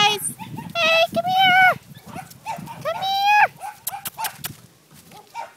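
Corgi puppies let out high-pitched, tonal whines lasting about half a second, some sliding down at the end, mixed with brief yips. Human voices speaking quietly run underneath.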